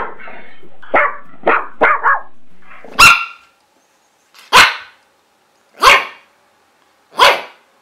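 A pug barks in short, sharp yaps, first a quick burst, then single barks.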